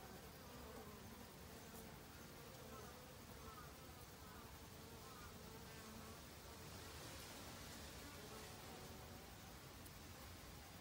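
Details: Honey bees in autumn, busily foraging for food to last the winter; a steady low droning buzz with faint hum bands runs throughout over a hissy broadband background, no other clear sounds.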